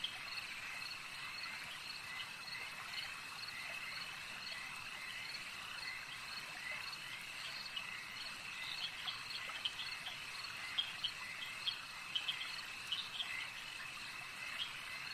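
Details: Frogs at a lake make a dense, steady chorus of high trilling and pulsed croaks. Sharper, louder calls cluster toward the end, over a constant insect-like background hum.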